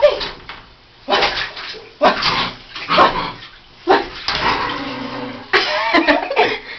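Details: Roison, a female miniature pinscher, during a bath indoors, attacking the bubbles she hates and trying to eat them; sharp broadband barks burst out about once a second with short gaps, over splashing water and some human voices.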